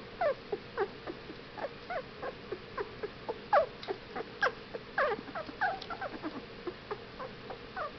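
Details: A litter of 15-day-old Whippet puppies whimpering, with irregular short squeaks and falling whines, some louder bursts midway, overlapping from more than one pup.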